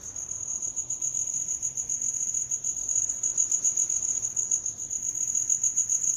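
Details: Continuous high-pitched cricket chirping, a fine metallic pulsing trill that stays level throughout, growing slightly louder toward the end over a quiet low hum.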